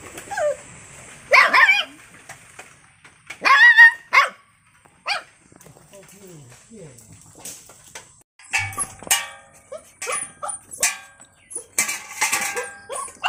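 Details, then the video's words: Puppy yapping in scattered short bursts, some with a squeaky tonal edge, among softer irregular noises and rustling; later a busy stretch of many clicks and yips packed close together. "Puppy voice, Puppy voice sound effect, Puppy Dog barking"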